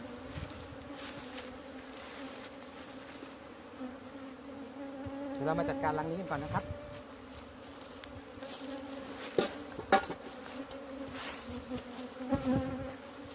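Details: During the first 2020 honey harvest from an old Asian honey bee hive in Thailand, the bees keep up a steady, low buzzing drone, with brief voices around six seconds and sharp knocks later on.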